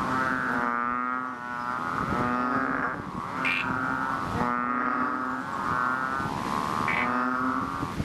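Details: Painted or Bull frogs, known as chubby frogs, call loudly from a rain-filled fishpond. Continuous overlapping droning moans, each about a second long, come from several animals, with occasional sharp clicks.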